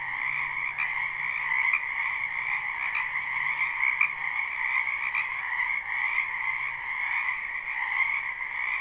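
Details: Frogs croaking en masse in a wetland during spring, recorded live without looping; a steady shimmering wall of trills with occasional louder clicks, over a soft low mechanical hum.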